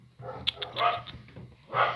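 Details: A Chow Chow and Alaskan Malamute mix dog gives short, rough barking and yelping bursts, with a louder bark near the end, over a low background hum.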